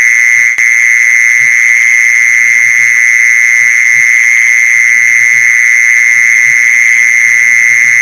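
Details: Mole cricket call used to lure mole crickets: an unbroken, steady buzzing trill held at one mid-high pitch with a fainter higher overtone, loud throughout, over soft low thumps and a single click near the start.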